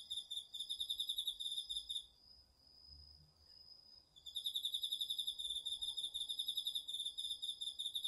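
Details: Crickets among an autumn night chorus of insects in a garden vegetable field, recorded on a DR-40X: rapid pulsed chirping trills for two seconds, a two-second lull, then steady pulsing again over a continuous thin high tone from another insect.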